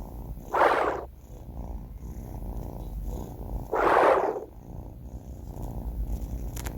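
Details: Snoring from a sleeping male kitten named Banh Mi, four months old. Two husky inhaled snores arrive about three seconds apart, with soft steady breathing noise in between.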